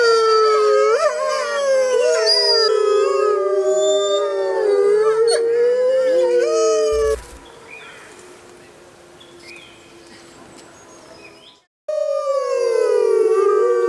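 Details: Mackenzie Valley wolves, a large grey wolf subspecies of northwestern North America, howling in chorus: several overlapping, wavering mid-pitched howls sliding up and down. An abrupt break brings a few seconds of rough noise before the howling resumes.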